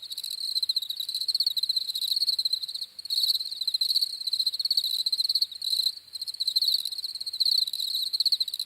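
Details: Continuous high cricket chirping made of fast pulsed trills that swell and break off every second or so, an overtone ringing above; nothing else heard.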